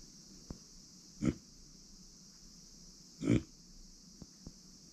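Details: Pet micro pig Uni, a female born September 2020, grunts twice, two seconds apart: short, low, rough oinks, with a few soft clicks between them in a quiet room.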